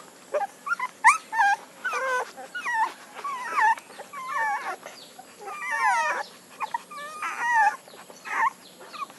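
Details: Puppies whimpering and yipping in short, high, wavering bursts with rising and falling whines, separated by brief pauses over about nine seconds; faint background hum.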